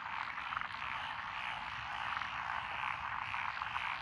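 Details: Many frogs calling together in lotus rice paddies in Echizen, Fukui, Japan, on June 12, 2021, including Japanese tree frogs, black-spotted pond frogs, wrinkled frogs, Schlegel's and forest green tree frogs; a steady wall of rapid, rattling croaks.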